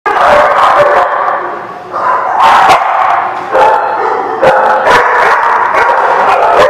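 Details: Dogs barking constantly, with overlapping sharp barks and a brief lull near the two-second mark before loud barking resumes.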